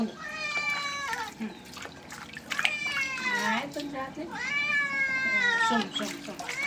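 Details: Wet domestic cat at bath time yowling repeatedly, long harmonic meows that rise and sag in pitch, roughly every two seconds, accompanied by running water, light music and occasional speech.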